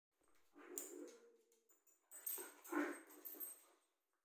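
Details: Whippets playing indoors, silly and energetic: a low, rough growling grumble with a brief steady whine-like tone, followed by a burst of breathy, snorting play noises rising and falling over about three seconds.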